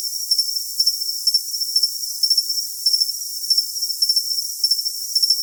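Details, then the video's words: A cricket chirps for tinnitus masking. Clusters of sharp, high pulses repeat steadily, a little faster than twice per second, over an unbroken high-pitched hiss. "Cricket Sound for Tinnitus Masking"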